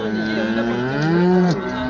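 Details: A cow, shown where milk yield is discussed, gives a long low moo that rises slightly and then drops off, with a man's speech heard around it.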